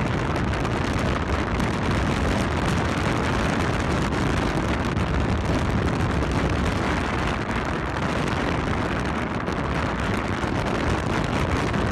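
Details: Steady, loud wind buffeting the microphone outdoors, a continuous rumble with no other clear sounds.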